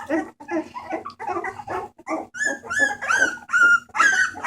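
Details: Bulldog puppies from a rescue litter, 28 March 2014, vocalising: short choppy yaps give way to high, tonal whines with clear rising and falling pitch, roughly two to three calls a second, over a faint background hum.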